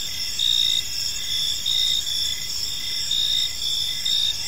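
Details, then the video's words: Several crickets chirp in a park as evening falls, short bright trilled bursts repeating about twice a second over a continuous high insect drone. "Cricket Sounds in a Peaceful Park"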